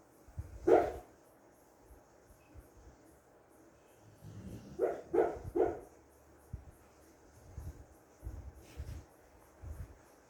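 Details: A sleeping female American Bully dreams, giving a muffled woof, then a quick run of three soft, stifled barks.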